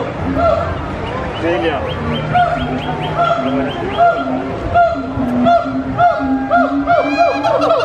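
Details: Captive gibbons at Disney's Animal Kingdom, loud and energetic, hooing and singing: steady low hoo notes repeated over and over, with quick rising whoops and sliding higher notes layered on top in a busy, overlapping chorus.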